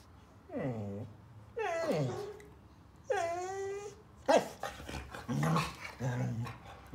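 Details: Border Collie named Phoenix on his fourth birthday, indoors and excited by a gift: drawn-out whining cries that bend downward in pitch, three in a row, then a run of rough growly grumbles, with a person speaking.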